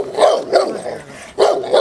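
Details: Presa Canario of the Irema Curto line doing protection work on a training field in Germany, giving four heavy, resonant barks in two pairs with a brief gap between.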